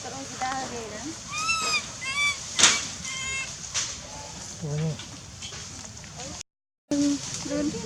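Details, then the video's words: Hungry wild baby monkey named Lizza crying to call its mother in Angkor Park forest, giving several arched, rising-falling tonal wails with bright overtones, mixed with lower grunting sounds and a short sharp noise. "Poor baby Lizza cry & cry loudly, Lizza cry to call mom& hungry"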